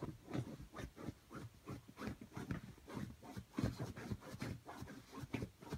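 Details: Rocco, a Brussels griffon, digging at a bed to fluff it up. Low, muffled scrapes and grunty snorts come in irregular bursts, several per second, against a quiet room.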